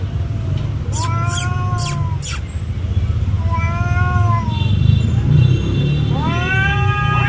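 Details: Cat (Felis catus), fighting yowls: territorial fight.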